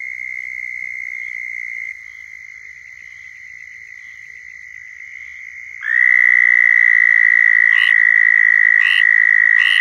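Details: Chorus of southern toads in Florida giving mating calls: distant steady trills at first, then a nearby toad starts a loud high continuous trill, with regular short bursts from other toads toward the end.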